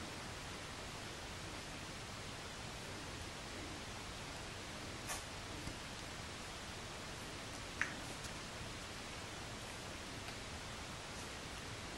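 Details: Steady faint hiss fills a quiet small room, broken only by a couple of soft clicks near the middle, with no animal voice anywhere.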